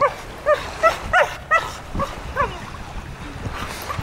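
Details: Blue Staffordshire Bull Terrier, 15 months old, excited on a beach: a quick run of short, high, squeaky yips, about six in two seconds, then softer whiny notes fading out.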